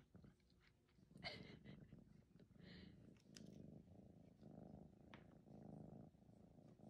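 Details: A 14-week-old male red tabby Maine Coon kitten, polydactyl with extra toes on each paw, purring softly. A low, steady rumbling purr in pulsing bands becomes continuous from about three seconds on, with brief clicks and rustling earlier.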